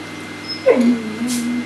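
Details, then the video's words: Two older Neapolitan Mastiffs, Neo and Cleo, aged six and five, playing together at home; a single sharp yelp that drops into a long, low, wavering whine lasting about a second. "Neo Dad and Neapolitan Mastiff Mum Cleo Play like Teenagers!"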